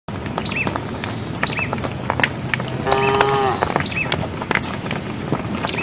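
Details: Cows in a herd walking along a project road give one short, clear moo calling the herd, lasting about half a second midway, over a steady background of clicks, shuffling and faint rural noise.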